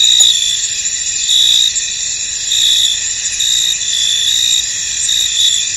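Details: Crickets in a misty, foggy field, a dense high-pitched chorus of continuous trilling with brighter pulses swelling roughly every second, steady and unbroken, no other clear sounds.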